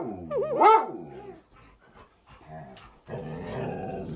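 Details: Pet Siberian Husky Cub, annoyed at being grabbed on the butt one morning, gives a couple of wavering whiny growls rising and falling in pitch, followed by quieter grumbles and a low rumbling stretch under background music.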